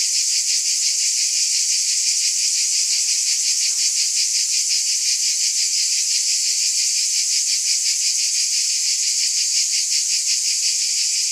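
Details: Steady shrill chorus of cicadas, a hissing buzz throbbing about three times per second at an even loudness, with a faint low murmur briefly beneath it.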